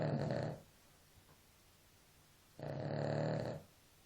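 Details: Sleeping dog snoring: two long, rough, low-pitched rasping breaths with about two seconds of quiet between them.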